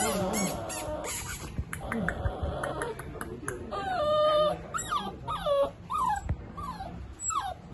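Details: Dachshund giving a run of high, tonal whimpers that slide downward, several short falling cries close together in the second half, over background music and human voices.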